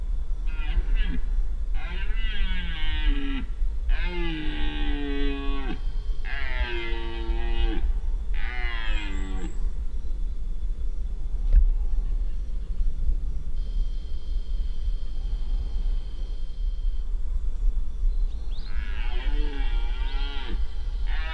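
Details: Irregular fourteen-point red deer stag in the 2025 rut, Spiš: a series of five throaty, bellowing roars over the first ten seconds, a long quiet stretch, then one more drawn-out roar near the end, over constant low rumble.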